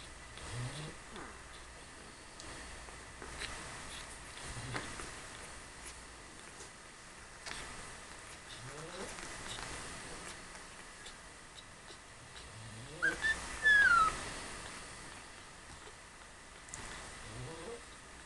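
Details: A two-week-old French Bulldog puppy gives a brief, high squeak that slides downward.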